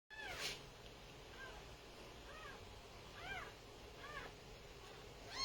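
Kittens give thin, high meows, each a brief rising-then-falling cry, repeated every second or so.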